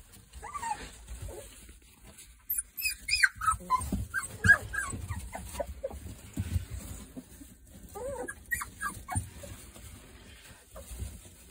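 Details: A litter of three-week-old Boerboel pups, sired by Kodak out of Rhianna, whimper and yip in bursts of high, wavering squeals, several overlapping in quick runs, with soft rustling and low background rumble.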